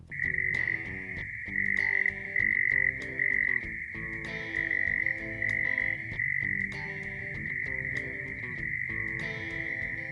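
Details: Single male prairie mole cricket calling in Oklahoma, a call made from March that usually starts at sunset, wind noise filtered out. A steady high buzzing trill, broken into chirp-like bursts early, then continuous. Faint music-like tones underneath.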